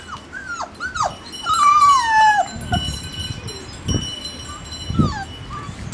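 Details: Siberian Husky puppies giving thin, whistled whines that slide downward, several short ones in a row, then a longer wavering whine, followed by soft low thumps and bumps.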